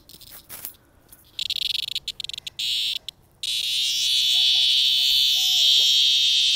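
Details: Cicada picked up from a sidewalk in 2020 and about to be released; broken bursts of clicking buzz build into a loud, continuous, shrill high-pitched drone, with faint whistled notes in the background.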